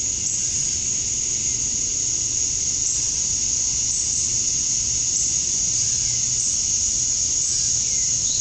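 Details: Cicadas calling on a summer night at dusk in Georgia, USA, males singing to attract females: a continuous piercing buzz, very even in loudness throughout.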